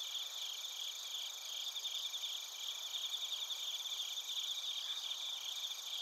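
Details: Many crickets and bell crickets singing together in Narita, Chiba Prefecture, Japan, on a TASCAM Portacapture X8: steady high-pitched, finely pulsed chirping from several bands of callers, unbroken throughout.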